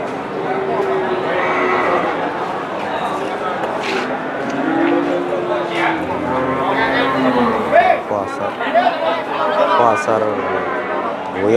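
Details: Big Limousin cattle at Kunden market, Wirosari, Central Java, Indonesia; a deep drawn-out moo rising then sliding down, half buried under constant human talk and bustle of the livestock market, with a few sharp clatters.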